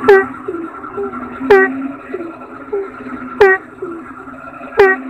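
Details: Asian common toad (kodok bangkong) calling: short honking croaks with a sharp click-like onset and a brief falling tone, repeated irregularly every one to two seconds, with fainter overlapping croaks and a steady low hum underneath.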